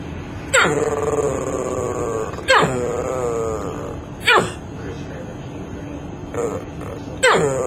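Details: Unusual bark of a dog: five loud barks, each starting sharp and sliding down into a drawn-out, wavering moan-like tone, repeated roughly every two seconds over a low steady hum.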